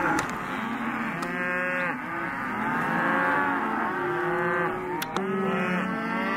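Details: A sale lot of male and female Hereford and Careta calves bawling continuously, a thick layer of overlapping moos with shifting pitch, broken by a couple of sharp knocks.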